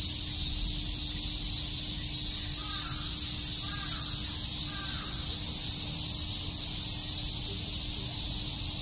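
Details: On a summer day at Tokyo's Shakujii Park, cicadas chirp together in a constant sizzling high buzz. Three faint short calls from another animal come in quick succession near the middle.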